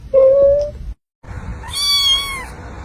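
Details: Young cat making a thin, steady, high-pitched meow, then after a short silence a longer, bright, wavering meow, against background hiss.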